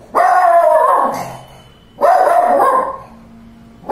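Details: A Shih Tzu, reacting to its owner's artwork, gives two drawn-out, harmonic barking cries, each about a second long.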